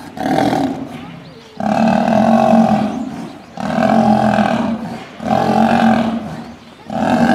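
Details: Male lion under attack by female lions: four long, harsh, growling roar bouts of about a second and a half each, separated by short pauses, loud and rough throughout.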